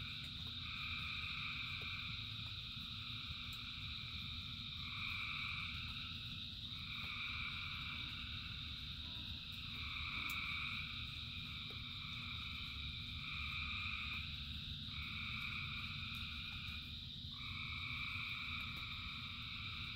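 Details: Rain-soaked frog chorus of thousands of callers: rapid overlapping croaks, about four per second, in stacked bands, with individual trills breaking in and out every two to three seconds over steady rainfall.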